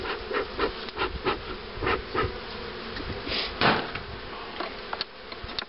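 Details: At hives set up for queen rearing in 2013, honey bees keep up a constant droning buzz while rhythmic knocks and rubbing sounds from hive handling pulse over it roughly twice a second.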